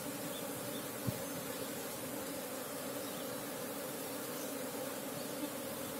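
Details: Continuous droning hum of wild Apis cerana honey bees, a local wild colony sought for honey, with two steady pitch bands, one sharp knock early on and faint rustling underneath.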